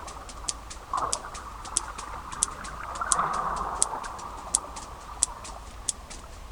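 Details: Sperm whales hunting deep off Dominica in the Caribbean, recorded by hydrophone. Sharp, regular echolocation clicks are used to find squid and can travel underwater for miles.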